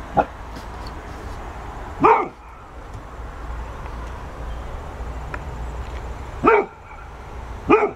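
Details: Golden Retriever barking at a ball, giving four short sharp barks spaced unevenly over eight seconds, with a steady low background hum between them.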